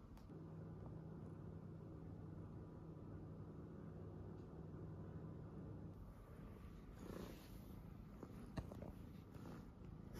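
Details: Domestic tuxedo cat purring indoors while its nails are trimmed, a steady low rumbling purr running through the first six seconds, then fainter with soft rustling handling noises.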